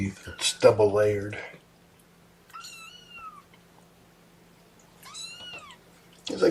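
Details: Kittens from Mama Seraphina's litter of four, objecting to being pottied before their weigh-in indoors: two thin, high mews, each arching up then sliding down, about two seconds apart, after a person speaking at the start.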